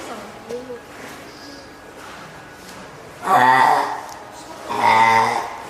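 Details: Oga Aquarium, Japan, May 2017: a hand-raised female spotted seal pup, three weeks old, cries loudly to summon its keeper, hungry or eager to climb out; two long, nasal bleating calls follow quiet background chatter.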